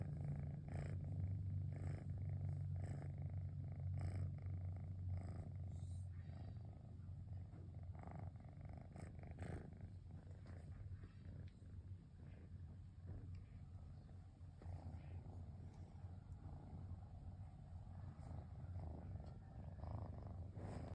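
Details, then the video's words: Cosmos, a cat unwinding on a rainy afternoon, keeps up a long motor-like purr: unbroken low vibrating hum, breath-driven swells every second or so, slightly softer in the middle stretch. "Cosmos Motor-like Purring sound"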